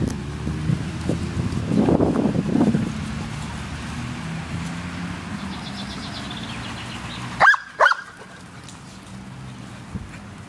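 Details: Dog at a dog park giving two sharp, close barks near the end, after several seconds of low rumbling background noise like passing traffic.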